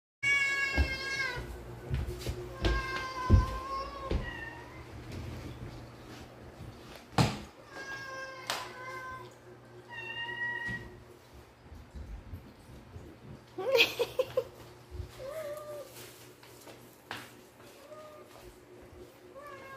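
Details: Several cats meowing in the morning while waiting to be fed in the kitchen; repeated harmonic meows, some rising then falling, others short and plaintive, overlapping in bursts with pauses between, plus scattered clicks and household knocks.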